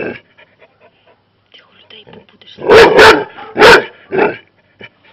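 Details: Labrador Retriever reacting to a hedgehog with barking as the owner urges it to be quiet. Soft talking and small noises come first, then two loud barks close together and a weaker third bark.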